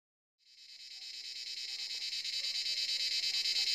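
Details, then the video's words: Cicadas calling from the forest at sunset, around seven in the evening: a dense, shrill buzzing drone that fades in after a brief silence and swells steadily louder, pulsing about three times a second, with faint low sounds beneath. "Cicada sound in forest"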